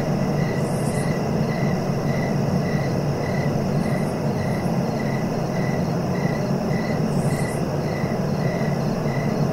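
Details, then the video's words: Cricket chirping in a steady, even rhythm of short high pulses, roughly three every two seconds, over a loud, low rumbling background, with a few brief hissy bursts higher up. "Relaxing cricket sounds for sleeping"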